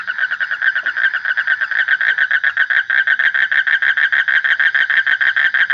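A frog gives a fast, steady run of harsh pulsed croaks, many beats per second.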